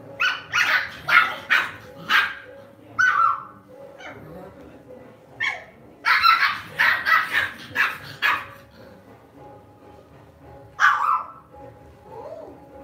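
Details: Pet Lhasa Apso at home barking in quick yappy clusters, several rapid barks, a brief lull, another burst, then one final bark near the end over a low background hum.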